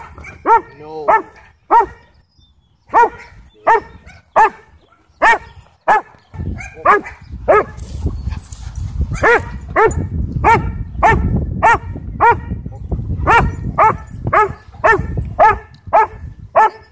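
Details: A sheriff's K-9 Belgian Malinois trying to attack at a Texas county dog park barks in a long, steady volley of about two dozen sharp, harsh barks. A deep rumbling noise builds under the middle stretch.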